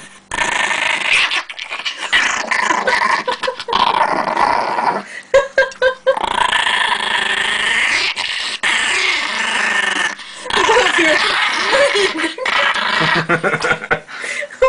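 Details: Indoor Chihuahua in Russia fiercely growling to protect pancakes; long rasping snarls rise and fall in loudness, broken by short gaps and sharper snapping bursts, over roughly fifteen seconds.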